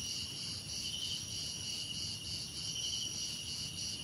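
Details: Brief stretch of cricket song from a relaxing soundscape of crickets, cicadas, insects and birds: unbroken shrill trilling in several high layers, gently throbbing in rapid pulses, with low background noise.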